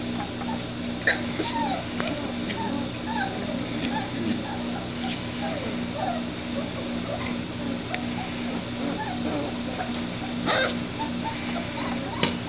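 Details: Three-week-old White Shepherd puppies from one litter whimper and squeak in short, wavering, high-pitched notes that come in irregular clusters over a constant low electrical hum.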